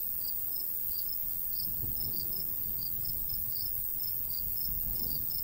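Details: Crickets in summer countryside beside a golden wheat field: high, short chirps repeat rapidly in an uneven overlapping series, over a low rumble of light breeze.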